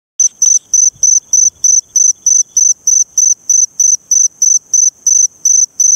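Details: Eurepella cricket at Eighty Mile Beach, Western Australia: a high, shrill chirping in short even bursts, roughly three per second, steady and unbroken over a quiet background.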